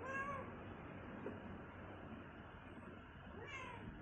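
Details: Hungry pet cat begging for cucumber: one falling meow at the start and another rising meow near the end, separated by a low, steady background hum.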